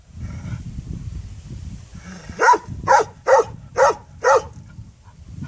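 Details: After a couple of seconds of low rumbling noise, a dog gives five evenly spaced barks about half a second apart.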